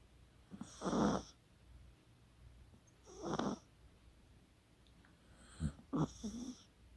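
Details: Chihuahua Kaka snoring while asleep, 24 October 2020: two full, gravelly snores, then a broken, stuttering one made of several short snorts.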